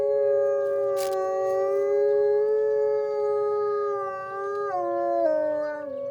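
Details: Monday-morning wolf howling on a snowy-season deck, more talkative than usual: a long, smooth, sustained howl that rises gently, then steps down twice in pitch toward the end, with a second voice holding alongside.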